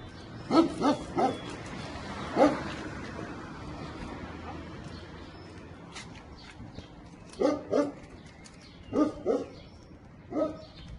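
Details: Two-year-old unneutered American Staffordshire Terrier in Milan, described as overexcited and dominant. It gives sharp, resonant barks in quick pairs and triplets: a cluster at the start, a lone bark, a quiet gap, then more paired barks. A faint hum runs underneath.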